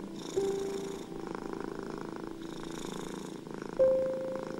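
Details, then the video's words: Domestic cat purring steadily, a rhythmic low rumble that swells and fades with each breath about every one and a half seconds, set against a few soft sustained piano notes. "Cat Purring Sounds and Piano Music"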